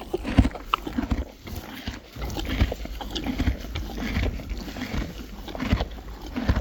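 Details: Hay being chewed by Friesian horses and foals: dense, irregular crunching and rustling, louder crisp bites standing out among continuous grinding, with low-pitched background rumble.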